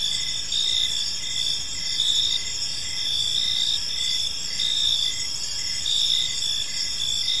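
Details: Steady high-pitched cricket chorus on an evening in a peaceful park, layered ringing tones with gentle rhythmic pulsing and a quiet low background hum.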